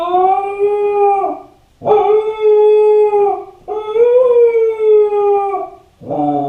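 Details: Lonely Kai Ken Ichi, home alone, howls to call its family: three long sustained tones, each about one and a half seconds, with a slight rise in the third and a new howl starting at the end.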